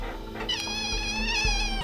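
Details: An 8-day-old Chihuahua puppy cries during life-saving surgery to suture its lips so it can suckle: one long, thin, high-pitched cry that wavers slightly and holds steady, over a low background hum.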